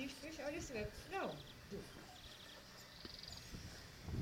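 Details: Ca de Bou and Dogo Canario puppies playing: a few short, high, downward-sliding whines and yelps cluster in the first second and a half, then fade to quiet scuffling with faint human voices.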